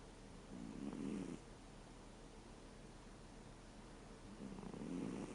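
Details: Reo, a 13-year-old American Shorthair cat, snoring while asleep: two low, rough, breathy snores about four seconds apart, each lasting under a second, with quiet room hiss in between.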